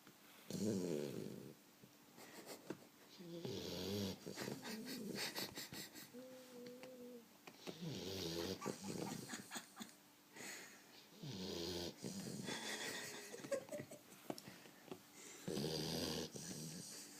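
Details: Bear, a 12-week-old Boxer puppy, asleep and conked out on the couch, snoring in irregular rasping, wheezy breaths every few seconds, with a faint whistling tone in between and soft room noise.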